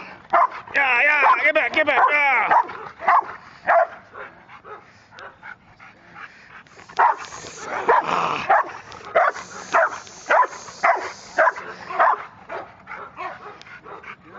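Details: Sasha, an 8-month-old female Rottweiler in area-protection training, barks in deep, repeated bursts to guard her area while a man shouts commands such as "Get back!"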